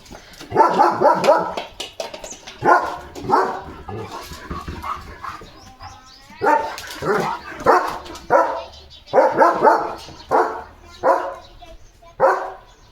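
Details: Leo, a pet German Shepherd, runs fast and barks in his yard after spotting a dog outside. Loud, deep barks come in quick bursts of two to four, separated by brief pauses, over about thirteen seconds.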